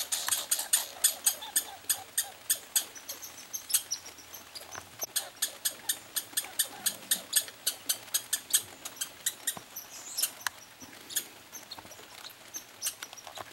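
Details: Two pine squirrels duel over peanuts during a summer vacation. One gives steady, sharp, clicking barks about three each second, continuing evenly, with faint outdoor background.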